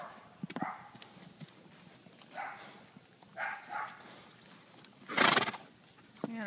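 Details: Horses going about ordinary behaviour: a few short whinnying calls and a loud breathy burst late on, ending in a brief falling call, with hoof clip-clop and human voices in the background.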